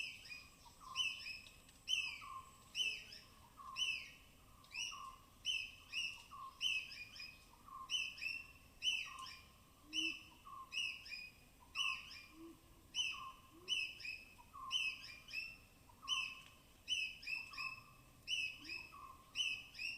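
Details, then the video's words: Cautious forest squirrels foraging on rain-soaked bark in Tamhini's evergreen canopy, Western Ghats, recorded binaurally; a long run of sharp clipped chips, each with a short tonal tail, repeating quickly and steadily, with faint low notes beneath. "High-Pitched Sounds of Squirrels"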